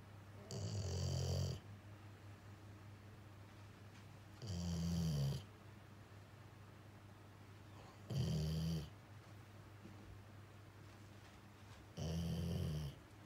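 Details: Jiji, a male rescue Labrador-Schnauzer mix dog, snores indoors while his sister Kuu comes over, worried. Four loud, deep, rasping snores, each about a second long, recur roughly every four seconds. Quiet breathing fills the gaps.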